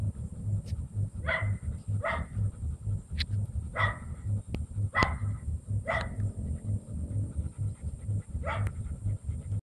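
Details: Double-coated German Shepherd bitch, a breeding dam, barks repeatedly: around seven sharp, clipped barks at irregular intervals of about one second, with a rhythmic low machine thrum underneath throughout.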